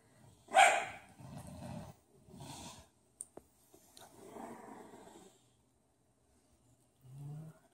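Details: Bulldog puppies at play: one sharp bark opens, followed by low grumbling growls, a couple of clicks, and a brief low rumble near the end.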